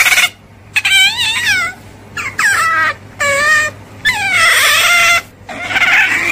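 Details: Otter making a series of short, wavering, high squeals. Each one starts high and bends downward, about five calls over six seconds with quiet pauses between them.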